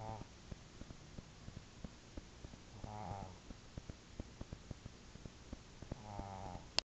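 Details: Snoring from the dog Ocsar: slow rumbling breaths, each ending in a buzzy, harmonic rattle, about three seconds apart, with soft ticking sounds between them.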